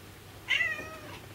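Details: Domestic cat, a former abandoned stray kept indoors for about ten years, meowing in reply to the spoken word for milk: a single short, bright, slightly falling meow with a quiet room behind.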